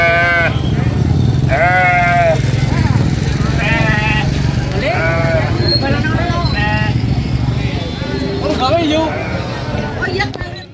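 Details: A baby goat at a farm, at a vaccination spot, screams in loud, wavering, nasal bleats, one after another, over a low rumble.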